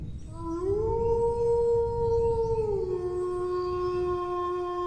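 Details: Dog howling: one long, smooth howl that swells upward, holds a steady pitch for about two seconds, then steps down to a lower held tone to the end, over a low rumbling background.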